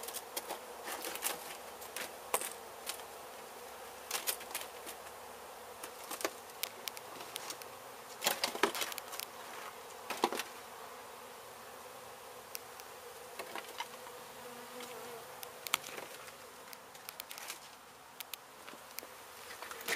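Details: Continuous low buzzing of a disturbed honey bee colony during a hive removal from a demolished home in Mission, Texas, broken by frequent sharp clicks, taps and scraping knocks.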